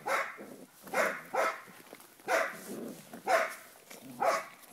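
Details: Cardigan Welsh Corgi puppies, seven weeks old, kept at a Volga kennel, bark in a steady series of six shrill yaps, roughly one each second, some doubled closely together.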